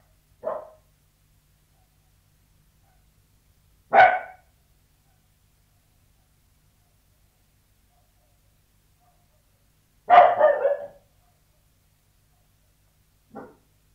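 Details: Sealyham Terrier behind a closed door inside, barking irregularly: four short barks spread over several seconds, two loud and two faint, one doubled into a quick burst, with silence between.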